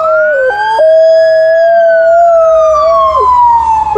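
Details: An Alaskan Malamute howls at a passing ambulance while watching pigeons, holding a long, steady mid-pitched howl with a few brief voice breaks over the loud, slowly falling siren.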